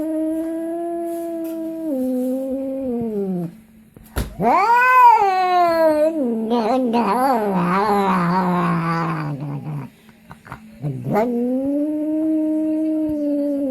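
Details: Pet cat vocalising strangely as it eats, giving long sustained wailing cries, one steady then dropping, a loud warbling mumbled stretch in the middle, and another drawn-out moan at the end.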